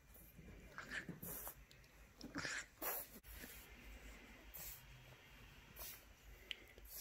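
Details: French Bulldog puppy in a cage, trying to escape by unlatching the cage door: bursts of snorting and sniffing breaths, a few sharp clicks and rattles between them.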